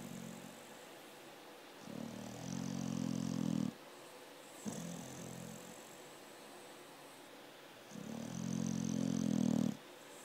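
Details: American Staffordshire Terrier (pit bull) snoring in a deep sleep: three long, low, rumbling buzzy snores of about two seconds each, starting and ending abruptly, with quiet breathing gaps of two to four seconds between them.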